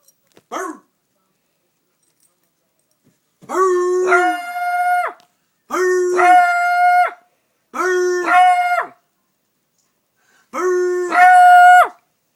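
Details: A beagle gives four long, drawn-out baying barks toward a person, each breaking from a low note into a higher held tone.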